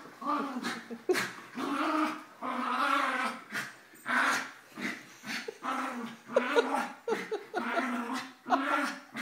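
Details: Einstein, an 11-year-old Mini Schnauzer, tries to overpower Suzi, a 9-year-old Basset, as Emma, a 2-year-old Yorkie, intervenes during morning play. Drawn-out rumbling growls and yips rise and fall in repeated waves, mixed with a person's voice.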